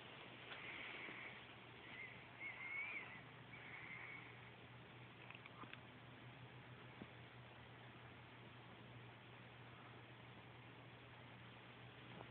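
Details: A Siberian Husky gives high, wavering whines and yowls, demanding more belly rubs each time the rubbing stops.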